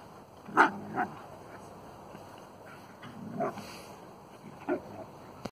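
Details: Two dogs, a Husky and a Caucasian Shepherd, at playtime; short yipping barks and whines come in bursts near the start, middle and end, over steady background noise.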